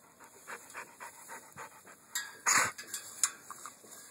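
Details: A pit bull dog panting in quick, breathy bursts at a steady rhythm for about two seconds, then one louder rough burst followed by a few scattered sharp sounds.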